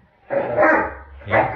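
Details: A Great Dane, a male described as tougher and leaner since a female companion arrived, gives two loud, deep barks, the first longer, the second short after a brief pause, indoors.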